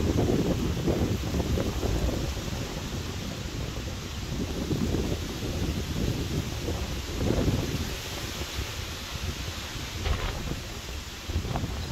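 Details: Gusty wind buffets the microphone over a roaring outdoor background, with no animal voice.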